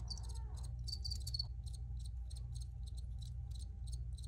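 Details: High, shrill cricket chirps crowd together at first, then settle into evenly spaced short pulses roughly three per second, with a continuous deep hum underneath.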